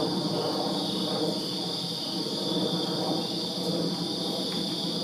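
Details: Summer-night chorus of crickets in a Virginia backyard, a continuous high, ringing trill layered in two bright bands, over a low, grainy wash of distant background noise.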